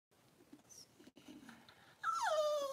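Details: Cavalier King Charles Spaniel indoors during Daisy's delivery of six puppies in two hours; after quiet rustling, a loud high whimper breaks in and slides steadily downward with bright harmonics, ending in a falling wail.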